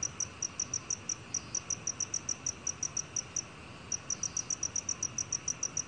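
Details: Black cricket song, recorded in 2020: a series of short, high, clear chirps repeated about five times a second, with a brief pause just before the fourth second before the rhythm resumes, over a faint steady hiss.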